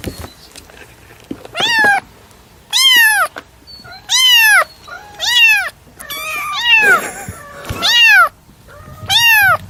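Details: Domestic cat repeatedly meowing: loud, bright arched meows roughly every second and a half, each rising then falling, one rougher and more strained in the middle, little else heard.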